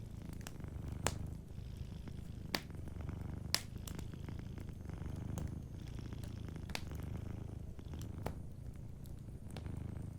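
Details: Soft, continuous low purr from a sleeping cat by a cozy fireplace, rhythmic and rumbling, broken by frequent bright snaps and crackles of burning wood.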